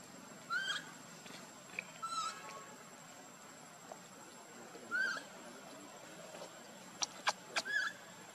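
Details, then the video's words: Baby monkey Luno calling to his father Tum to be picked up: a few short, faint, high, upslurred squeaks spaced a few seconds apart over a quiet background, with brief clicks near the end. "baby monkey Luno trying call father Tum to pick him up"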